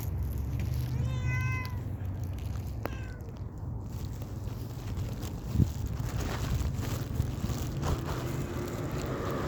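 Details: Stray cats on a Tehran street beside a municipal trash can, two large ginger cats and one shy tabby, eating dry food; one short, tonal meow early on, a fainter sound soon after, over steady traffic rumble.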